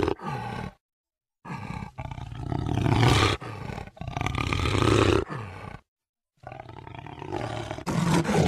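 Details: Jaguar roar: grinding, low, raspy roars in sustained bursts of one to two seconds, swelling louder in the middle, with two clean silent pauses between groups.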